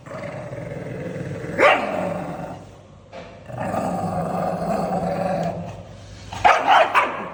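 An angry pug gives rough, rumbling growls broken by a few sharp, snappy barks.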